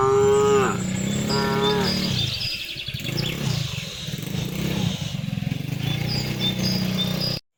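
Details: Cattle being herded home along a village road in the afternoon, calling to the herd with two short drawn-out moos in quick succession, then continuous low rumbling, footsteps and scattered bird chirps.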